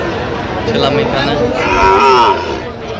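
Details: At a Gaibandha cattle market in Bangladesh, a Sahiwal bull calf gives a short, rising then falling moo lasting about half a second, set against busy market chatter and men talking.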